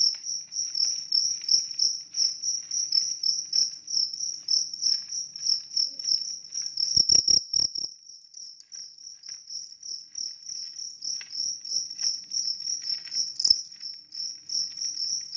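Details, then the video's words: A big cricket trilling without pause, fast high-pitched chirps repeated about three times a second, with a short burst of low thumping noise partway through. "ternyata jangkrik besar ini tidak ada lawan"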